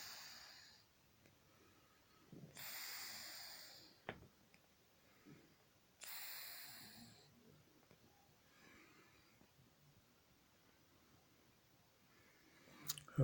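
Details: Titan, an elderly 31-year-old Scottish Fold, asleep in the day and gently snoring. Airy, rasping breaths swell and fade about every three to four seconds, with faint indoor stillness between them.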